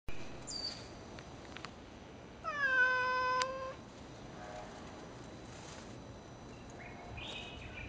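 A basenji gives one drawn-out, meow-like whine that slides slightly downward over about a second.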